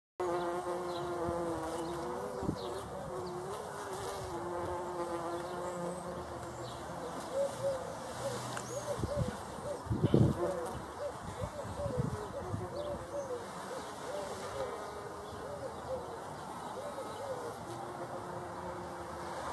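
A bumblebee's steady, deep droning buzz that wavers slightly in pitch.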